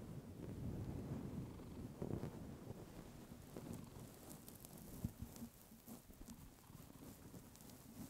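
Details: Pet cat Clementine, a female, purring into a fluffy microphone. A deep, continuous rumbling purr, louder during the first two seconds, then softer and rhythmic, rising and falling with each breath, with small rustling clicks near the end.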